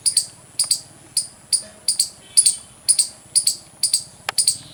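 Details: Squirrel chirping loudly: sharp, very high-pitched chirps, often in quick doubles, repeated about twice a second in an uneven rhythm, with a faint low rumble in the background.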